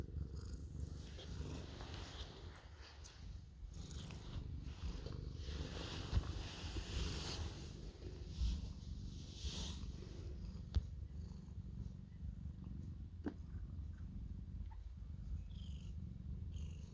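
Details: Cuddle-seeking orange cat purring at length; a continuous low, rhythmic rumble persists throughout, with rustling of fur or fabric and a few faint clicks.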